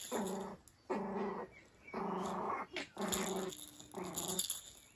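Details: Cairn Terrier puppy having fun play-fighting outdoors under cover on a rainy day, giving five drawn-out, rumbling growls, each about half a second long, with short gaps and a steady background hiss.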